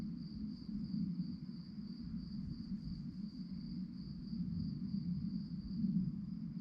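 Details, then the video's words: Night-time crickets give a continuous high chirping trill of rapid, even pulses, with a dull low-pitched rumble underneath throughout. "relaxing sounds of crickets"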